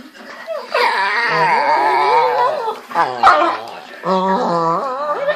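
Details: Pit Bulls at play in bed in the morning, indoors: long wavering moaning whines with rich harmonics, rising and falling across several seconds, broken once by a short sharp sound, then a fresh drawn-out whine.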